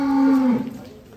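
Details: Belgian Blue cattle at a cattle contest held at Bintang Tani Farm: a single steady, low, droning moo held for about half a second, then dropping slightly in pitch and fading out, with no other sounds over it.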